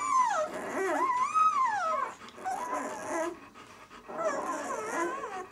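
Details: Drawn-out whining from a six-day-old White German Shepherd puppy of the "of White Night" B litter, long wavering cries that rise and fall in pitch, three in a row with short gaps.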